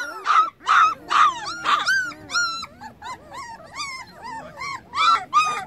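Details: Puppies, eyes now open, keep calling for their missing mother. A string of loud, ringing yelps comes first, then softer, wavering whines that rise and fall, several pups overlapping at about two calls per second.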